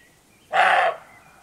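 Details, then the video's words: A single gruff, explosive bark from a roebuck at dusk in the Rhodope Mountains of Bulgaria, one of several bucks calling before nightfall. The bark is short and harsh, and faint birdsong sounds in the background. "Roe Deer Barking/Сръндак лае"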